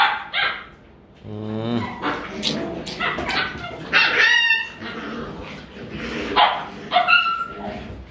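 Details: Playful Rottweiler puppies in Vietnam practising biting and fighting each other: a run of yelping barks and whiny yips with rough growling between, several high-pitched squeals, bursts every second or so.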